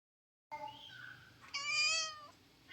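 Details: Pet cat sulking indoors after being told no massage; a soft opening mew then a loud, bright, harmonic-rich meow held about a second, steady and slightly falling at the end, in a quiet room.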